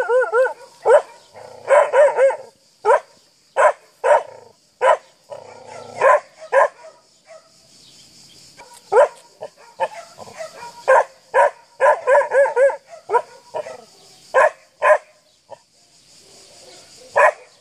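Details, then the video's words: Akita, seven months old, barking at a horse; rapid series of loud barks, some doubled or wavering into yelps, in bursts with short pauses and steady high hiss behind. "Akita bark to an horse"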